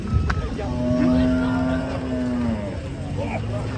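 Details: Cattle lowing: one steady, low, droning moo held for nearly two seconds, with faint background murmur and noise.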